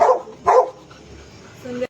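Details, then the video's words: Snoopy the dog, eager for a kitten to play with him, lets out two quick barks in succession followed by a brief higher yelp. "Look how Snoopy wants this baby cat to play with"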